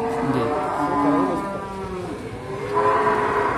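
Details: Simmental calves at an animal market in Sukorejo, Kendal: overlapping harmonic moos, one bending and wavering through the first two seconds, then a higher, steadier call near the end, over low market murmur.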